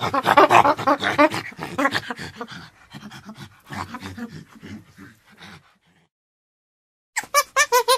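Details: Chimpanzee panting in a rapid series of loud, breathy, voiced huffs that fade after about five seconds. Silence follows, then another burst of fast pants near the end.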